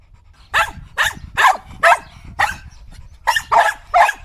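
A Shetland sheepdog barks in sharp, high yapping bursts, about two or three every second.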